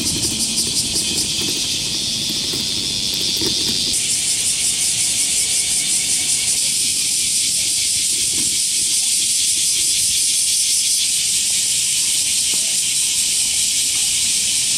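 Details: Many cicadas sing together on a hot, clear summer morning before 9:30 near the Motoyasu River and Senda Park, Hiroshima, 4 August 2023, in a continuous high, grating buzz with faint pulsing texture over a low background rumble, perhaps distant traffic.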